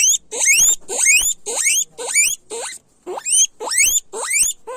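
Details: Loud guinea pig squeals, each a piercing whistle climbing steeply in pitch, repeated in a fast regular series of about two per second with one short break midway.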